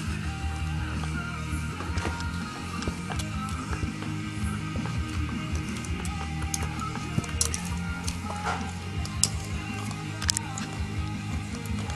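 Steady music with low rumbling and a few clicks; no animal voice stands out.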